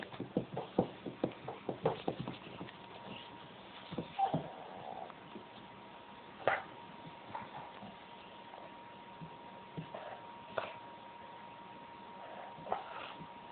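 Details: Fern, a pet English Springer Spaniel acting weird and funny indoors, gives a quick run of breathy rhythmic pulses, then scattered short whimpers and snuffles spaced several seconds apart in a quiet room.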